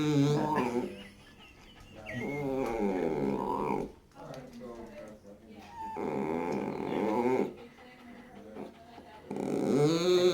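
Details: Very vocal blind Dachshund, nearly 19 years old, revving a motorcycle-like moan: three long, warbling, throaty drones of two to three seconds each, separated by short pauses, in a small room.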